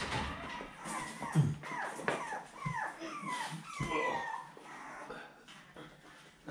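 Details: Fancy's litter of seven-week-old puppies, 18 October 2020, whimpering as their pen is changed: a run of thin, high, sliding whines and yips, several overlapping, with soft thumps in a small indoor room.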